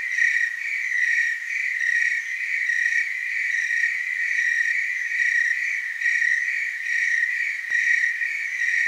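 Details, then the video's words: Massed tree crickets chirring in the Willamette Valley, Oregon, a sustained high-pitched pulsing trill layered with faint harmonics, loudness rising and falling gently, one short click near the end. "Tree cricket chorus"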